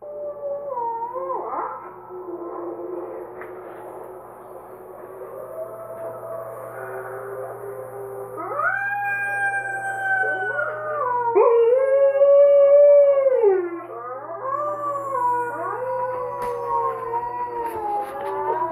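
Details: A female Alaskan Malamute gives long, wavering howls that slide up and down in pitch, answering wolf howls played on a computer while she watches the screen.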